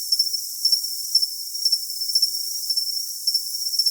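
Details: Cricket making short, bright, bell-like chirps, often in groups of two or three, about twice a second, over an unbroken shrill high drone.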